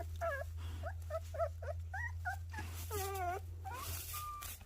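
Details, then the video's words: Puppies whimpering: a string of short, high, wavering whines, some rising and some falling, with one longer quavering whine near the middle, over a steady low electrical hum. "순심이, 조이 강아지들"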